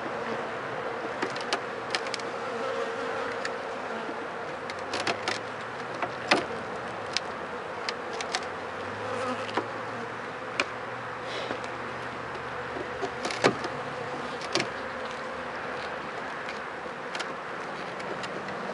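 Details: Honey bees humming at an opened hive after about four days of rain, with many dead bees in front; a steady droning buzz runs throughout, broken by sharp clicks and knocks from handling the hive.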